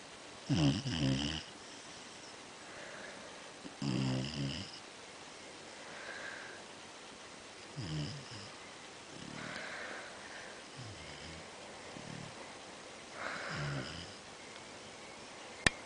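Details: Basset Hound mix dog snoring: rough, rattling snores repeat about every two to three seconds, some louder and longer than others, over a steady background hiss.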